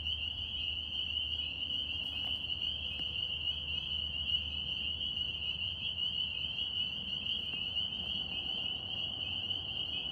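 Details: Chorus of northern spring peepers in New York: countless high piping peeps blend into an unbroken shrill ring, steady throughout, over a faint low rumble.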